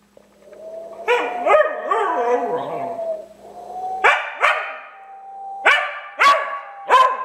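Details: Cooper the dog, confused by a strange whistle, gives wavering howls followed by a run of short barks and yips, with a thin steady whistle note sounding between them.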